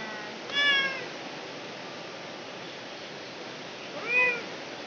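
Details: Domestic village cat giving birth, crying out: two short harmonic meows, one near the start and another about three and a half seconds later, over a steady hiss.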